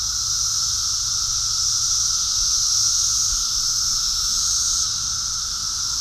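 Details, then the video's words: Massed cicadas swarming everywhere in New Jersey form an unbroken wall of sound: a steady, intense high-pitched buzz layered over a fainter lower whine, level and continuous for the whole stretch, easing a little near the end. "Cicada invasion and song"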